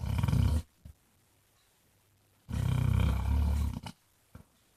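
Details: Basset Hound named Jack, also called Mr Flops, snoring indoors: two long, low, rumbling snores with a buzzy, vibrating texture, separated by a quiet pause and a few brief snorts.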